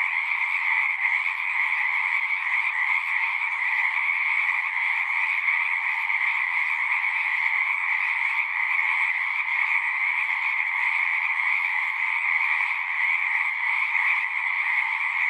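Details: Many frogs singing together at a pasture pond, Zoom 6 recording: constant shimmering trills layered in a high and a middle band, an even, seamless chorus without breaks or other sounds.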